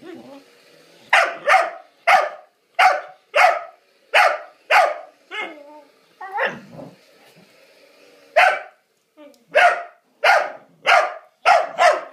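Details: Rhodesian Ridgeback whose patience is pushed by another dog; sharp, short barks repeat roughly once a second, about a dozen in all, broken by a brief lull in the middle.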